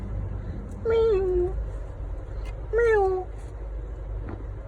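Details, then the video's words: Pet cat hiding under a bed and not coming out despite repeated calling; two drawn-out, falling meows about two seconds apart, with a person's calling voice around them and low background hum. "বিড়ালটা খাটের নিচে গিয়ে লুকিয়েছে, হাজার বার ডাকলেও আর আসছে না।"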